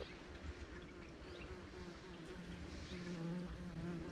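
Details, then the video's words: Leafcutter bee building a nest of flower petals inside an onion stalk on a back porch; low droning buzz that wavers and grows slightly louder toward the end, with faint background hiss. "Leafcutter Bee"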